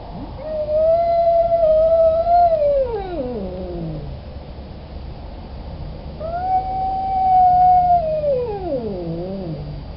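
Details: A male domestic cat in heat, calling for a spayed female, gives two long, wavering howls that swell, hold steady, then sag downward.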